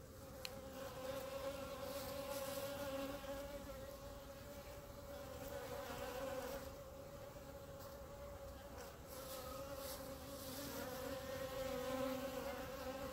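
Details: Steady drone from a clump of honey bees on the grass in front of the hives; the hum holds a constant pitch with strong harmonics and swells gently in loudness throughout.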